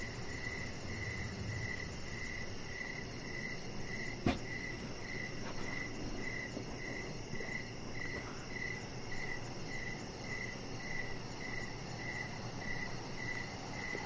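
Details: High, rhythmic cricket chirps fill an evening scene on a deck, pulses steady and clear, interrupted once by a brief sharp knock, with soft rustling noise in the background.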